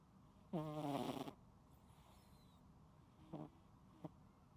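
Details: Loud snore from a sleeping cat: one strong, buzzy, harmonic breath lasting under a second, followed by two faint, brief snorts in a quiet indoor room.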